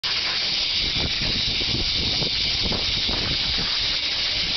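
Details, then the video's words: Cicadas in Japan during the summer months, among the season's noisiest sounds: a dense, unbroken screaming hiss, steady in loudness from start to finish and concentrated in the high register, with no other clear sounds. "Screaming Insects"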